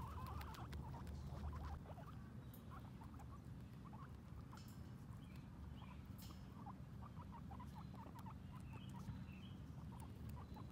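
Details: Guinea pigs Sheik and Penny, both females, venture outside for the first time and graze on grass, giving rapid scattered little chirps and soft squeaks throughout, set against a constant low-pitched hum.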